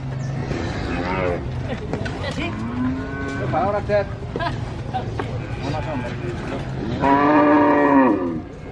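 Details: Young calf at a cattle market in Purwokerto, Indonesia; busy market chatter and scattered short animal cries, then a clear strong moo near the end, tonal and slightly falling, lasting about a second.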